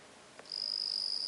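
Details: Bell cricket chirping, recorded 17 September 2021: after a soft click, a pure, high, ringing tone starts abruptly and holds steady for nearly a second, with a faint higher overtone above it.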